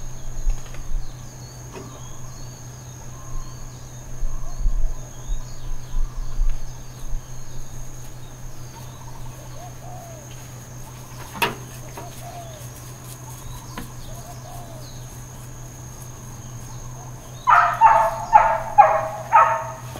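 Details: Dogs barking intermittently at Hawaiian Paradise Park, Hawaii, on Labor Day, September 2, 2024: after long quiet stretches, a quick run of about six sharp, harmonic barks arrives near the end, over a steady low electrical hum and faint insect noise.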